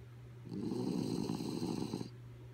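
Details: Kaya Boo, a dog fast asleep, gives one drawn-out gravelly snore lasting about a second and a half, fluttering throughout, against a faint steady hum.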